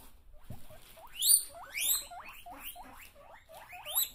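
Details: Guinea pigs teased with an empty bag give repeated rising squealing wheeks, each sweeping sharply upward with bright harmonics, about ten calls in quick succession, getting louder midway.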